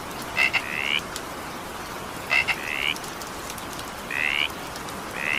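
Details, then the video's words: Evening rain with a frog: a clipped double croak then a longer rising nasal note, the pattern recurring about every two seconds against constant soft rainfall. "20 minutes evening rain sound effect with frog sound."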